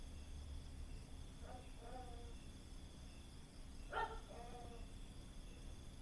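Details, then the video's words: A gecko at a neighbours' house in Khao Lak, Thailand, late in the evening gives two paired croaking two-note calls about two seconds apart, each a short harsh note then a lower drawn-out one, over steady low night hum. "was sind das für Tier Rufe?? Frosch, Kröte, Vogel, Nein, ein GECKO"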